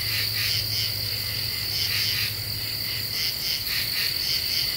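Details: Common true katydid at night in Ozark deciduous forest, summer 2013: quick paired raspy chirps repeating about every half second, set against a continuous shrill insect trill and a faint low hum.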